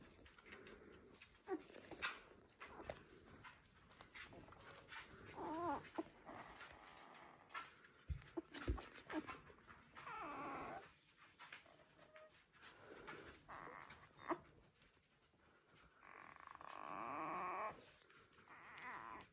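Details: Border Collie puppies one week old from the "U2" litter of Selen and Max: a series of thin, wavering whimpers and squeaks, some bending up and down in pitch, with a longer drawn-out whine near the end and soft background rustling.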